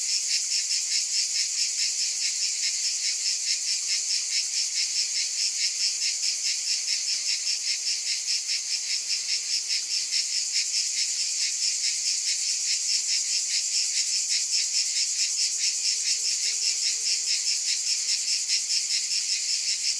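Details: A long, constant wall of high cicada buzzing with a rapid regular throb, swelling only slightly in loudness over twenty seconds.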